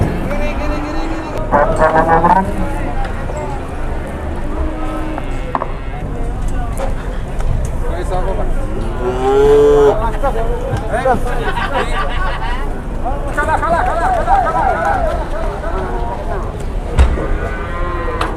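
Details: Cattle being loaded onto and unloaded from trucks in Indonesia, 2021: several drawn-out, low moos rising and falling in pitch, heard around two and nine seconds, mixed with constant people talking and rumbling vehicle engine noise.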